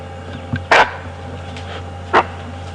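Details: A bushbuck running from a hunting leopard in waist-high grass at sunrise on a safari drive gives two loud, harsh alarm barks about a second and a half apart; the leopard misses.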